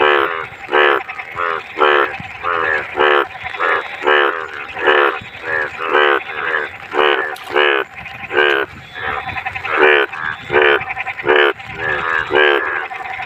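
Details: Frog croaking in clean water during the rainy season of Bhado; loud pulsed, rattling croaks repeated roughly twice a second in an unbroken run, with several overlapping calls.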